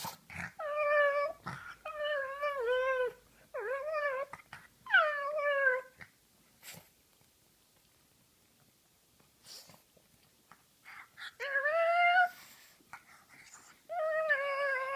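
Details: Indoors, a female pug whose owner plays with her face gives repeated warbling whine-grumbles in several bursts, some sliding downward. A quiet stretch falls in the middle before two more loud whines.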